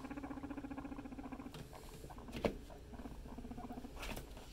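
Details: Pet guinea pigs in a family group indoors: a low, buzzy, rapidly pulsed rumble runs steadily for about a second and a half, then fades to softer chatter, with a sharp click midway and faint rustling.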